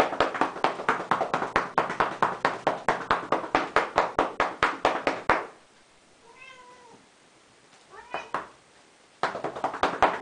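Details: Female domestic cat, 12 years old, enjoying being patted with paddles on her cat tree; rhythmic slapping pats, then a pause with two drawn-out meows before the patting resumes.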